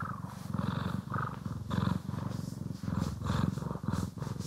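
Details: Loud close purring of domestic cats Poki and Kiwi being groomed and brushed, in a stereo ASMR recording. A rich, vibrating rumble swells with each breath in short rhythmic waves, with a light rustle of grooming over it.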